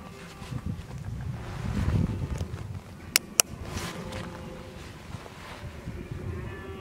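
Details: Red deer filmed in October 2014, bellowing while preparing for the rut; one deep, rough roar swells around the two-second mark over low rumbling background noise, followed by two sharp clicks.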